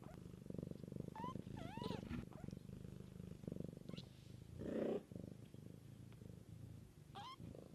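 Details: Mother cat tending her kittens, purring steadily in a low, rapid pulsing rumble throughout, while kittens give short, high, rising mews near the start and again toward the end.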